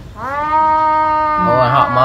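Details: Two cats fighting over a female in a village: one long, steady, nasal yowl held for about a second after a brief rise, then turning wavering and rougher, with a man talking nearby.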